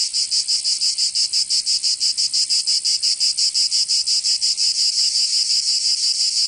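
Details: Cicadas in summer in Provence, southern France, producing an intense high buzzing drone that pulses rapidly and regularly, about three beats per second, with no other sounds.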